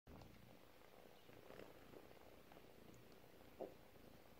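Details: A four-week-old domestic kitten purring softly: a faint, steady low rumble with gentle pulsing through the clip, a brief sharp click near the end, quiet indoor room.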